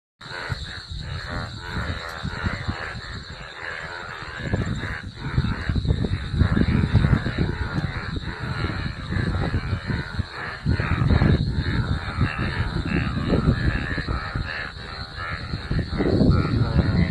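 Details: Golden frogs chorusing after rain, a dense, continuous wall of low croaking pulses that overlap without a clear rhythm, swelling louder in the second half.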